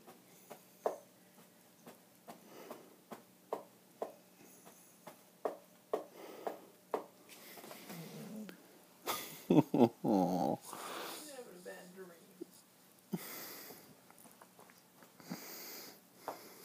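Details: Arya, a border collie, making noises while having a nightmare indoors; short whimpers and yips repeated roughly every half second, rising to a louder cluster of cries midway, then settling back to sparse soft whimpers.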